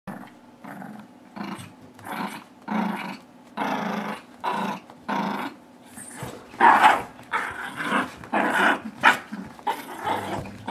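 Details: Two dogs, a 9-month-old blue Doberman and a tiny 6-pound Shih Tzu Yorkie mix, playing tug-of-war with a rope indoors. Gruff, rasping growls come in short bursts, roughly every second or two, with some longer rumbling stretches.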